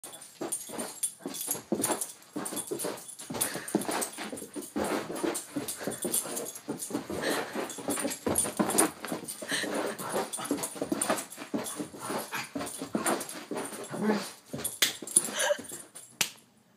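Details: A Doberman makes rapid, noisy, breathy huffs and snorts that run steadily through the recording in uneven bursts, with no clear barks.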